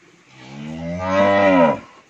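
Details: A 15-month-old Friesian heifer on a dairy farm in Pabna, Bangladesh gives a single loud moo of about one and a half seconds, rising in strength and then falling, with a rich stack of harmonics; no other sounds.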